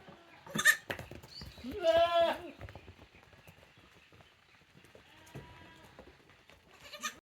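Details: Young Tokara goats at a farm on 2 May 2024, a female kid and a male and female sibling pair: one strong wavering bleat lasting about half a second, with short sharper cries before and after amid soft background noise.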